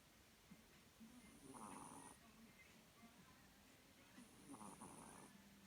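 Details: Cat asleep and snoring, with two slow, hoarse, airy breaths a few seconds apart against a quiet background hum.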